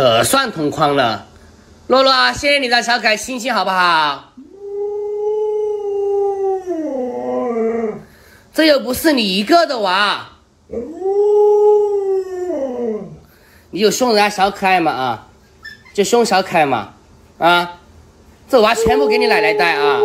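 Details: Alaskan Malamute Luoluo, a pet dog reacting to its owner wearing a mask indoors, lets out two long, smooth, arching howls of about three seconds each, alternating with excited talking-like yowls and human speech.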